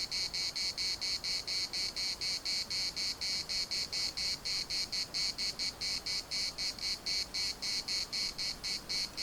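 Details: High, dense cicada buzzing from Larnaca's municipal park in Cyprus, pulsing rapidly and steadily throughout, with almost nothing else audible beneath the chorus.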